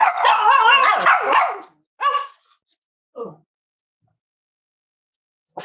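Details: Cavalier King Charles Spaniel puppies snuggling in a home that raises emotional support animals, warm Friday morning: a long quavering whine, then three shorter yips spaced about a second apart, and a final faint yap.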